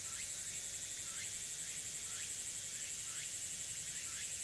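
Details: Tsukutsuku-boshi cicada singing in the afternoon, early autumn 2022, Tanegashima's Nishinoomote (Furuta Magarikawa): quiet, repeated rising slurs about once a second beneath a dense, high, continuous insect hum.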